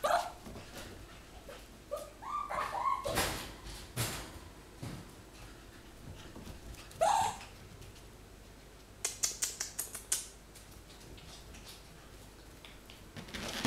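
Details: AlfRed the fox on his second birthday, 22 April 2018, indoors: several short squeaky whines with bright harmonics early on, another sharp rising yelp near the middle, amid rustling, clicks and handling noise in a small room.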